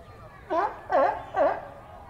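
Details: Sea lions at a zoo in New York City, USA, giving three harsh, honking barks about half a second apart, each rising then dipping in pitch, over faint background murmur.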